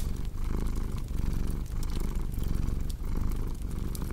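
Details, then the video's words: Close, throaty purring from a cat, low and vibrating, rising and falling in quick rhythmic breaths about every 0.6 seconds, with light fireplace crackles in the background. "Purring Cat"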